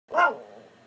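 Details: Pet dog making a talking vocalization while chatting with its owner: one short, sharp, yelping bark-like sound that quickly fades, with a quiet room background.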